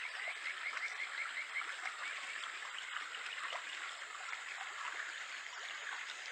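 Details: A Japanese stream frog, the Kajika frog, in July in Japan gives a quick run of about eight short whistled notes in the first second and a half, then only the constant rush of stream water remains.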